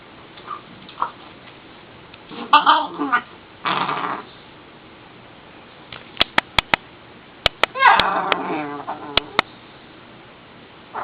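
A pit bull puppy makes short whiny yips and grumbly squeaks, with sharp clicks and a voice nearby.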